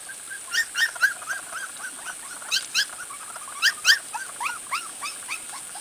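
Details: Several Corgi puppies from one litter, outside for the first time, give high, arched whimpering yips in quick irregular bursts, many overlapping, some louder squeals among softer whines, over a steady high hiss.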